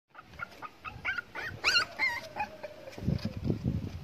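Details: Black Micro American Bully male puppy in India giving a run of thin, high whines that rise and bend in quick succession, then fade into low rustling and snuffling noises.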